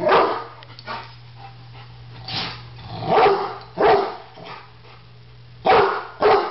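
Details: Rottweiler reacting to a barbecue grill as if it were a threat, a Doberman looking on; five loud, rough barks come in two bursts separated by a quiet stretch with a constant low electrical hum.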